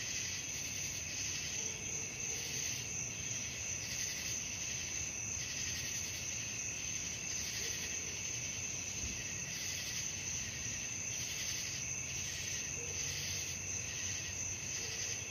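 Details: Crickets chirring through the night in a loud, unbroken high trill that pulses softly in strength, with faint brief mid-pitched notes recurring every few seconds.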